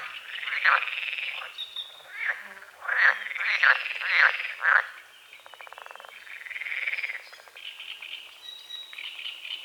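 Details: Croaking frogs at dawn over a small lake beside a forest, mist on the water: bursts of rattling, pulsed croaks with short sharp notes, alternating between callers, light bird calls in the background.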